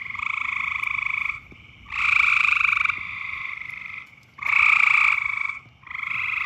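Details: Loud mating-season frog chorus: long buzzy trills lasting one to one and a half seconds, several overlapping callers, with louder and softer croaks alternating and short quiet gaps between them.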